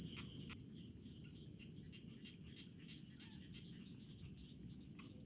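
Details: Cricket in rice fields: a few sharp high chirps at the start, a lull filled by a softer lower trilling insect, then a renewed burst of rapid bright chirps near the end over low rumble.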